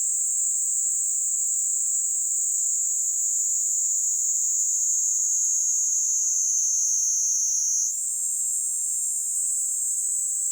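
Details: On a person's hand in Kanto, Japan, July 2022, a Kaempfer cicada (Platypleura kaempferi) keeps up a loud high whining buzz that slowly sags in pitch, then steps abruptly higher and continues.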